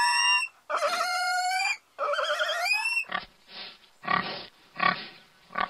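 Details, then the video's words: Farm pigs giving two long tonal squeals with rich harmonics and wavering pitch, followed by a series of short rough grunts spaced roughly half a second apart. "Sounds of pigs, domestic animals sounds , farm family animals, pig voices"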